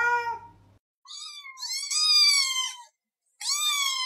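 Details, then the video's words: Domestic cat meowing, a sound said to usually mean it wants something specific: the tail of one call, then a long, clear, slightly falling meow and the start of another after a short pause. "Unlocking the Secret Behind Why Your Cat is Meowing"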